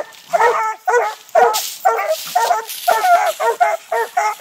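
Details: Treeing Walker puppies, six months old, bay at a caged raccoon on a tree while training in Texas; a steady run of rough barks, roughly two each second, with a brief noisy burst partway through.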